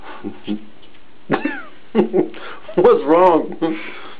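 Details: Captain Cat Sparrow, a two-month-old Maine Coon kitten, indoors in a small room: a short falling mew, then a louder arched, harmonic meow near the end, with people talking around him.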